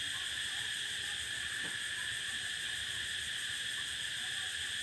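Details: Cicada on the prairie: a steady, unbroken high buzzing drone that fills the whole stretch, layered in several shimmering bands, with no pauses or change in loudness; a faint low rustle sits underneath.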